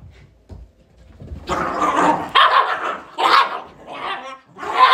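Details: Shiba Inu dog producing a run of drawn-out, harsh barks with tonal cores, joined almost without pause into a continuous noisy barking sequence lasting several seconds.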